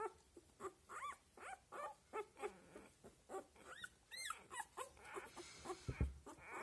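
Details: Seven-day-old Australian Labradoodle puppies whimper in a steady run of short rising-and-falling squeals, roughly two or three per second, ending with a brief low thump.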